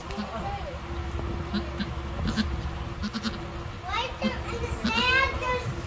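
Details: Darleen, a mother goat, giving birth to triplets. A loud, wavering, quavering bleat rises near the end, with a woman talking almost throughout and a few soft clicks.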